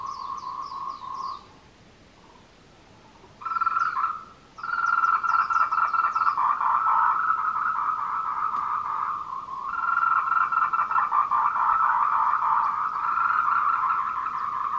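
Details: Tree frogs giving courtship calls at 14:00, 26 April 2018, on the Meiling Wulong trail, Nanxi, Tainan, Canon PowerShot SX720HS: a short burst, two seconds of near-quiet, then a rapid rattling croak chorus building and continuing, with faint high chirps.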